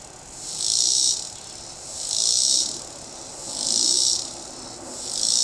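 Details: A cicada singing in a tree gives loud, high, buzzing pulses that swell and fade roughly every one and a half seconds, with some background noise.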